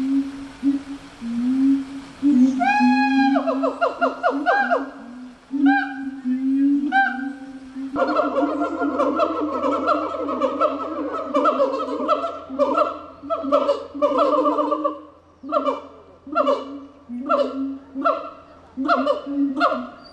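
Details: Gibbon song opening with rising, sliding whoops, then breaking into a long fast stream of rhythmic, repeated hoots that pulse in loudness, with a faint low hum beneath from midway.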